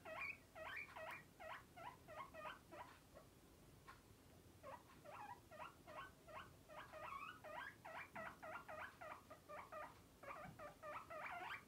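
A guinea pig whistles in fast runs of short, squeaky rising notes, pausing briefly between bursts.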